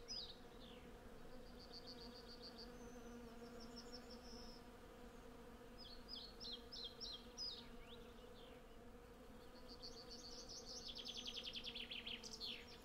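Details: Hundreds of honey bees collecting honey on cherry blossom, recorded with a Zoom F6 and Sennheiser MKH 8040: an even, unbroken low buzz, with short bird chirps scattered through and a louder bird trill toward the end.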